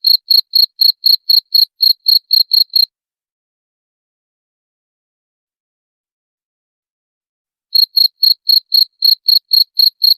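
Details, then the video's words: Cricket chirps meant to repel rats: about three seconds of rapid, high, ringing chirps at four per second, then five seconds of silence, then the chirping resumes for the last few seconds. "SUARA JANGKRIK PENGUSIR TIKUS"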